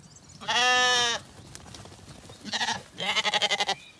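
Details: Zwartbles lambs, recently weaned and relaxed, in an orchard in County Kilkenny, Ireland, one evening; a loud, steady bleat is followed by a brief call and then a strongly quavering, pulsing bleat.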